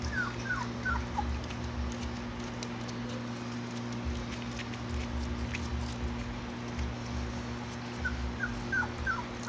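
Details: Three-week-old Labrador Retriever puppies playing and wagging their tails give quick, thin squeaks that slide downward, several in a row at the start and again near the end, over a steady low electrical hum.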